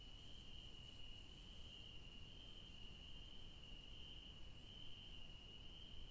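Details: Crickets in a garden with yellow daisies give a steady, high-pitched trill that runs unbroken through the night air.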